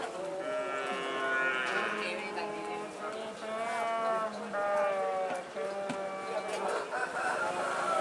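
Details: Cattle trained for karapan sapi bull racing at the Asemanis field in Pamekasan, Madura, East Java, Indonesia; several overlapping harmonic moos layer across the whole stretch, with people talking in the background.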